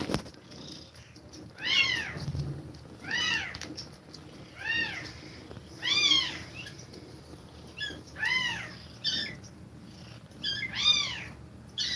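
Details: Mother cat feeding milk to her kittens; a steady series of high, arched mews, roughly one every one to two seconds, each rising then falling, with faint rustling in a quiet room.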